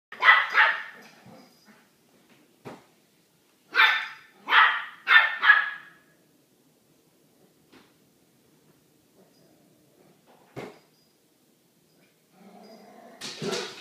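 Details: Small dog barking at a bigger dog kept behind a door: bursts of two to four sharp, broadband barks with long silent gaps between, plus a few faint clicks and a rougher noisy burst at the end.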